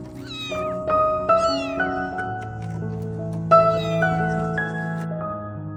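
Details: Crying stray kitten, lost in the dark and calling for her mother: a few brief, wavering meows near the start and middle, mostly covered by loud piano music.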